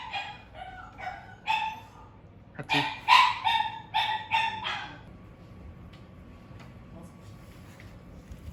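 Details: Shiba Inu house dogs reacting to an emergency involving their owners: a run of about a dozen tonal yelps and barks, rising to a louder, denser burst midway, then fading into quiet indoor background with faint distant sounds.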